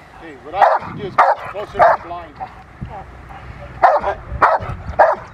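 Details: During protection training in April 2021, a female Rottweiler gives quick sharp barks, three in a row, a short gap, then three more, while a person talks quietly.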